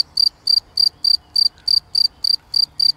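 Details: A cricket sings in grass on 11 June 2020 with steady, high, ringing chirps, about three a second, each a short pulsed trill, over a quiet background.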